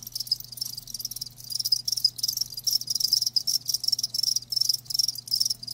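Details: A group of live crickets chirping sharply in fast, high, pulsed bursts with frequent tiny pauses, and a faint constant low hum in the background.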